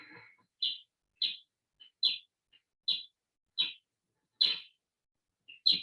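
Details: Little brown bat echolocation recorded in Eastern Ontario, slowed sixteen times: a steady run of brief, bright chirping sweeps under a second apart, pulses used while foraging and flying around a yard.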